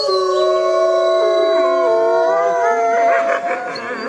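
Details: Wolf pack communicating at night; a long, smooth, sustained howl holds one tone, then wavers and breaks slightly toward the end.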